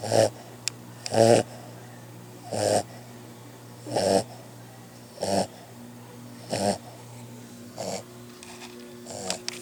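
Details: Puppy Santos asleep and snoring: a run of seven or eight noisy, grating inhalations spaced about one and a half seconds apart, some louder than others, over a constant low hum.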